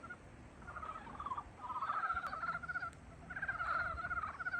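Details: Frogs calling as spring awakens, a chorus of rapid pulsed trilling croaks in overlapping bursts of about a second, several callers at once, over a steady low background hiss.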